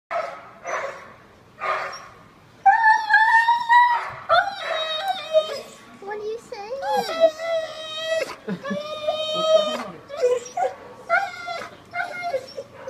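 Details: Siberian Husky dog indoors, protesting and not wanting a bath: drawn-out whining howls and yowls, rising and falling in pitch, some wavering, with short breaks between and human speech in the background.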